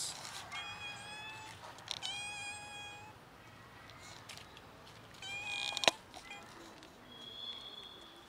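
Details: Domestic cats in a household cat family, one cat scared and not eating; several short harmonic meows, some drawn out and wavering, spaced across the recording, with a sharp click midway and quiet background noise.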